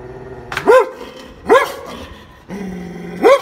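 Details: German Shepherd dog giving three loud, sharp barks spaced about one second apart, each bark rising quickly then dropping, with a steady low droning tone in the background between barks.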